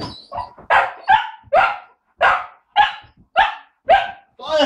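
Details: Belgian Malinois puppies in training, recorded 20 January 2013; a short run of sharp barks about every half second, with a man speaking Czech encouragingly between them.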